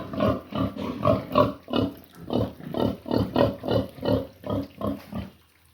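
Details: A pig at noon time gives a steady series of deep, rough grunts, roughly three each second.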